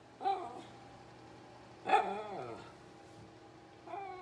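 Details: Teddy, a red miniature poodle asking his family for food, gives two short, strained yelping barks about one and a half seconds apart, each trailing into a whine, then a third begins; a low hum runs underneath.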